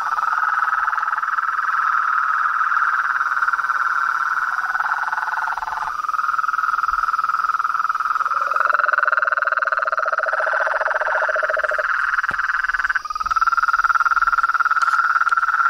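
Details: Nighttime-style nature chorus of toads, frogs and treefrogs: overlapping rapid trills at mid pitch. A lower rattling trill enters for several seconds, with a few abrupt changes in the blend of voices.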